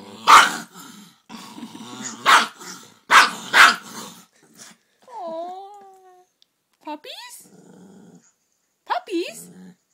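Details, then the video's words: Puppy indoors barking at a big dog on a computer screen: sharp loud barks, one early, then a quick cluster of three, with growling between, followed by high wavering whines and a final yelp. "Cute Dog Barking at Mean Dog on Computer"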